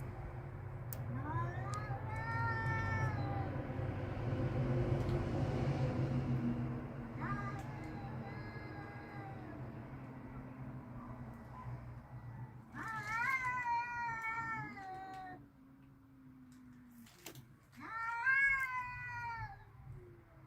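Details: Backyard cats outdoors, angry and ready to fight, trading long wavering yowls with rising and falling harmonics in four separate bouts, each lasting one to three seconds, over a steady low rumble of background noise.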